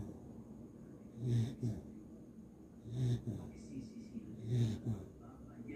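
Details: Sleeping Beagle snoring indoors: three low, rumbling snores at a slow, even pace, one roughly every one and a half seconds, each a short breathy swell with quiet breathing between.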